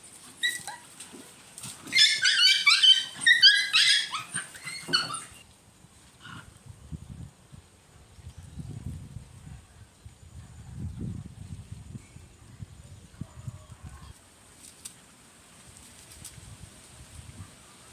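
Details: Puppy chaos as a mother dog teases her pups during play, real-life recording: a dense three-second burst of overlapping high squealing yelps, then low rumbling scuffles and soft shuffling noises.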